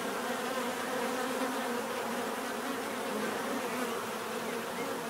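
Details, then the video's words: Bees buzzing in a dense, steady swarm hum, a continuous drone with bands near the low-mid range and no pauses, many insects overlapping evenly throughout. "bees therapy relaxing natural buzzing sound"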